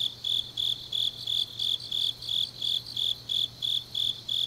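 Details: High-pitched chirping of grass insects on a late autumn night in Changnyeong, Korea: about thirteen evenly spaced, slightly rasping pulses, each swelling and fading, with a faint ringing hum behind.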